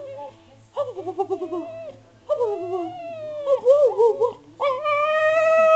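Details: Spaniel answering back to its owner indoors; a run of moaning, wavering howl-like vocalizations with pulsed grumbles, ending in a sustained rising whine, with a low steady hum beneath.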